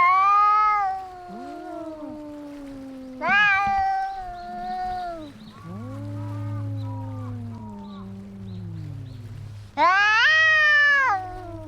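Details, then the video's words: Fighting cats yowling: a high wavering wail, then a sudden loud burst, a long descending low moan over a steady low hum, and a final intense rising yowl. "Som de gatos brigando"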